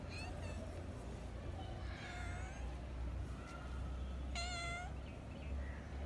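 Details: Female kitten calling her dad to play while he sleeps; a few thin meows early, then a sharp bright meow around the middle, set against constant low rumbling background noise.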